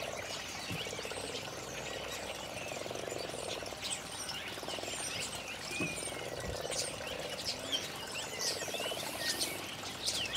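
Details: Garden pond frogs in early spring 2012, calling on a nice day: a low, rapidly pulsed purring drone swelling and fading in overlapping waves, while small birds twitter and chirp in the background.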